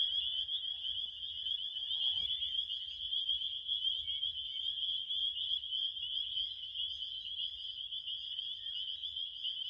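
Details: Crickets in a dense, unbroken chorus of high, shrill pulsing chirps that merge into one steady trill, with a soft low rumble underneath throughout.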